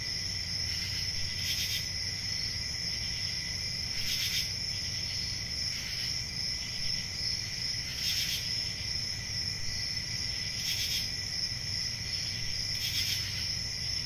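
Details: Cricket chorus: a dense, unbroken high ringing trill in several stacked tones, with brief louder swells recurring roughly every two seconds over a faint low hum.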